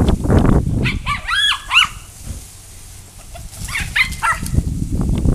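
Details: Coco, a pet dog trying to catch water spraying from a hose outdoors in hot weather, lets out clusters of high, rising-and-falling whining yelps amid splashing water and rustling.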